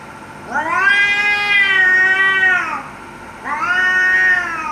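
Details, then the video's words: Cats threatening each other during a fight give two long, tense harmonic yowls. The first holds steady for about two seconds, then a shorter one follows after a brief gap. "แมวกัดกัน เสียงแมวขู่กัน"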